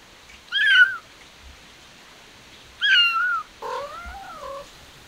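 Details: Kittens, noted as stray, calling with two loud, high, downward-sliding meows about two seconds apart, followed by a lower, longer wavering mew.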